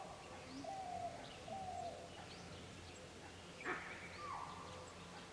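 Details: A chital gives a sharp, sudden alarm call in dry leaf-fall-season forest at Pench Tiger Reserve, Maharashtra, India, with soft bird calls around; the call came opposite to where a kill was dragged, suggesting another predator nearby.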